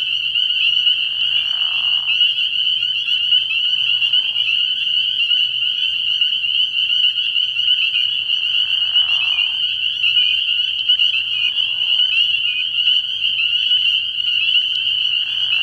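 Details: Early-year night at a frog pond with a steady shrill chorus of spring peepers, high peeps blending into constant ringing, while lower rasping trills surface four times, roughly every three to four seconds.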